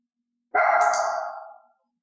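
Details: Elaine, a mixed-breed dog of unknown breed, in clicker training to bark on cue, gives one drawn-out, tonal bark that fades over about a second.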